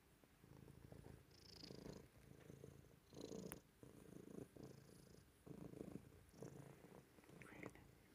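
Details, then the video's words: Domestic cat lying on granite, purring loudly indoors; low rumbling purr in rhythmic bursts of about a second each, swelling and fading with each breath, with faint breathy hiss between phases. "Granite loving cat, purring loudly"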